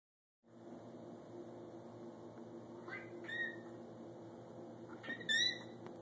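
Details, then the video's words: Snowshoe cat, a vocal breed with Siamese heritage, giving short high squeaky chirps: one brief squeak near three seconds, then a brighter, rising double squeak near five seconds, over a steady low indoor hum. "Squeaky Showshoe"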